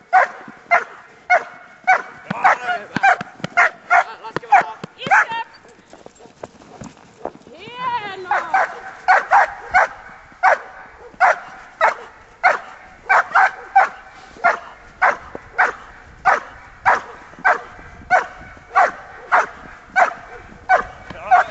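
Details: Bitework session with Thora, a Giant Schnauzer of one year and seven months: long series of sharp, regular barks roughly every half second, interrupted briefly around the middle by a pause and a rising whine before the barking resumes.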